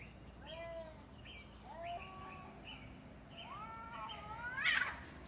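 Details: Cats fighting, giving drawn-out harmonic yowls that bend up and down, separated by short pauses, ending in a louder, harsher screech; faint steady background hum.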